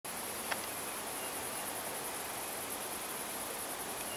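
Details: Cicadas in a rural area give a continuous, very high, hissing drone that holds steady for the whole stretch with a faint shimmering pulse and a brief click near the start.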